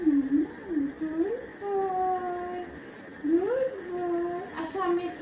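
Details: Labrador Retriever, apparently named Coco, whining in long, smooth, wavering tones that rise and fall, sustained for about a second at a time, with a brief sharp sound near the end.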